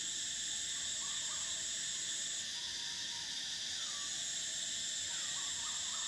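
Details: Summer cicada chorus, a continuous shrill layered buzz holding steady throughout, one band briefly dropping away midway, while soft whistled bird notes rise and fall faintly in the background.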